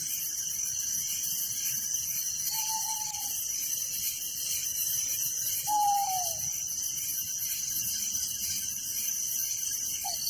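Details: Nighttime village crickets make an unbroken high-pitched trilling chorus with steady rapid pulses, joined by two drawn-out whistled notes, the second dropping in pitch, plus a brief whistle near the end.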